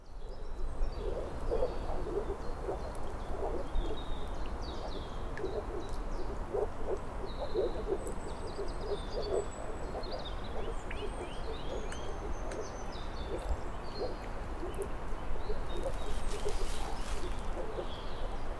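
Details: Moor frogs calling in a dense chorus of soft, low, bubbling notes that overlap steadily throughout, with thin whistled and chirping birdsong high above and a faint background hiss.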